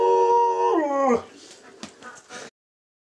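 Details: Three-legged Alaskan Malamute giving a short steady howl that holds one pitch, then slides downward and breaks off, followed by faint shuffling sounds and silence.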